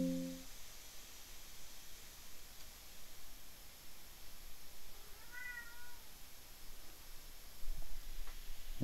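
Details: A pet cat in a room with a running 3D printer gives a single short, tonal meow over a steady background hum.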